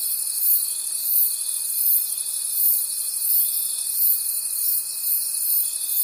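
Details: Forest crickets calling at night: a high continuous trilling chorus overlaid by a steady thin tone, swelling in regular beats throughout, with nothing else audible.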